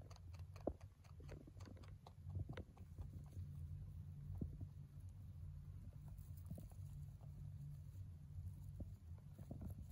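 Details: Hay being eaten by a male mini rabbit born in November 2020, heard as scattered dry crunches and clicks, sparse at times, with one sharper snap early on and a constant low background hum.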